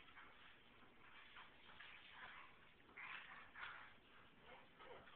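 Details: Alaskan Klee Kai dam voicing upset after her puppy's smell was washed away, playing with her daughter as the father wanders in the background. Continuous high whimpers and yips rise to sharper bursts midway.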